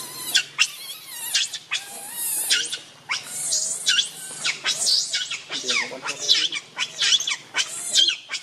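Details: Rainbow the monkey screams in anger to protect Lucie from Kachoy: a dense run of harsh, shrill, high-pitched shrieks in rapid bursts, nearly continuous, with brief lower tonal squeaks between them.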